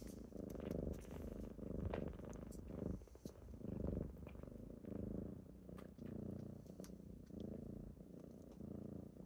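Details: Purring from kittens waking someone on a typical morning: a continuous low rumbling throb swelling and fading in slow pulses roughly once a second, with occasional soft clicks and rustles.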